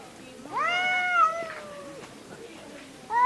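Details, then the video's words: Domestic cat at home, one of a pair said to quarrel often, giving a single clear drawn-out meow that rises and then falls away, followed by quiet and the start of another meow. "我家貓咪 愛吵架"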